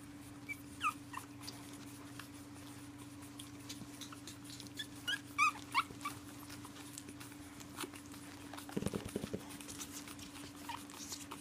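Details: Pug whining in protest at bedtime, several dogs unwilling to settle for the night: brief high whimpers early and again midway over a constant low hum, followed by a few soft thumps near the end.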